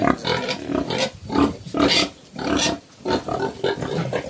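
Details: Black pigs, locally called Chrouk Kandorl, a mother with her young on a farm in Cambodia: short broadband grunts and squeals in bursts roughly every half second, separated by brief quiet gaps.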